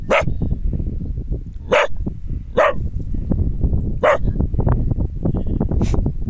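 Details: A Border Collie on a mountain valley barks at its own echo in short, sharp single bursts, roughly one to two seconds apart, over a constant low rumble, likely wind.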